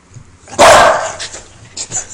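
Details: One loud, rough bark from a female Welsh Corgi reacting to a lighter, followed by faint room sounds.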